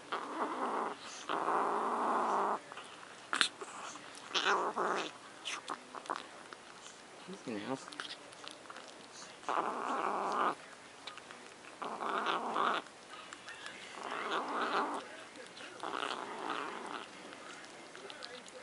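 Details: Luna, a cat possessive over macaroni and cheese, repeats short, rough growls of one to two seconds again and again, with a person talking in between and occasional taps and clicks.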